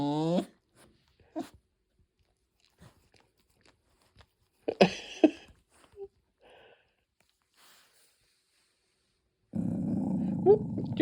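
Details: A Tibetan Terrier, possibly wanting to play, makes odd, tonal groaning and whining noises in short bursts, with people talking and laughing.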